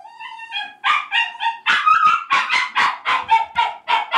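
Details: Kouda, a pet dog held in the bath while still completely dry, protests with a run of high, wavering whines that break into quick yelping cries, several per second.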